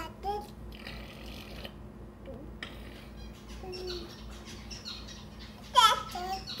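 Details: A male fox crawls around giving odd, whiny calls and short harmonic yelps, apparently for his own amusement, ending in a louder squealing cry; recorded 31 July 2017.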